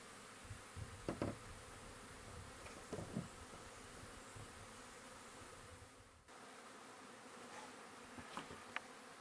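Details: Russian honey bees from a hive moved at night from a small inner-city Melbourne garden to the country, arriving at midnight at Apollo Bay, Australia, 20 April 2012; low steady humming murmur broken by soft knocks and clicks.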